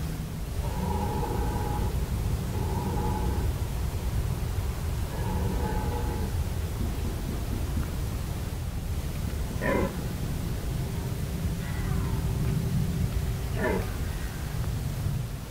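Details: Red deer stags bellowing at Hoge Veluwe in 2017: three rough harmonic roars about two seconds apart, then sharper short calls, over constant low rumble.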